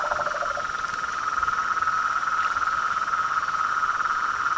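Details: Pond at nightfall with frogs, toads and treefrogs: a dense, even high buzzing chorus, one short lower pulsed trill at the start.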